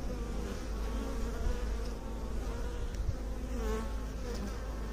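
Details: Continuous low hum of many bees, a thick, even buzzing drone with soft wavering overtones and a few faint ticks in the background.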